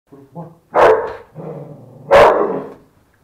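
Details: Bull Terrier at a friend's home, acting strangely, giving two loud gruff barks about a second and a half apart, with lower grumbling vocal sounds before and between them.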